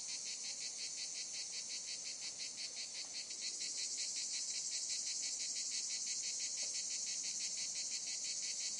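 A dense cicada chorus, a continuous high buzzing that pulses rapidly and steadily.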